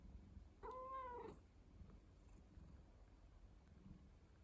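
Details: Domestic cat, a rescued house pet, gives a single short meow of under a second, steady and slightly arched in pitch, then quiet room noise with faint low rumble; no clear purring stands out.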